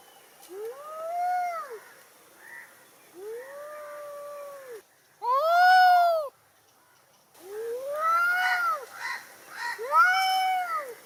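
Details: An angry cat giving long, moaning meows that swell and sag, spaced by short pauses, one very loud strained wail in the middle, then rougher overlapping cries near the end.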